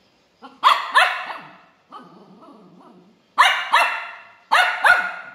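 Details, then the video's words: Angry pet puppy barking: loud, harsh barks delivered in quick pairs, then a quieter stretch of low rough grumbling before two more sharp double barks. "ANGRY BUBBLY DOG BARKING"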